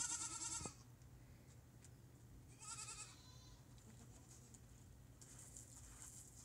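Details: Female goats from a herd, calling as they are greeted: one loud quavering bleat in the first second, then a softer second bleat near three seconds over a steady low hum.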